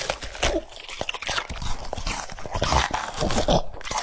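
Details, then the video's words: French Bulldog eating cucumbers indoors: dense, irregular wet crunches and bites follow each other rapidly through the clip, with sharp clicks and mouth sounds in a small room. "The sound of chewing cucumbers"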